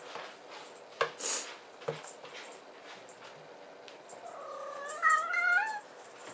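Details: A Maine Coon kitten gives one drawn-out meow that rises and then eases down, after a few soft knocks and a brief burst of hiss early on.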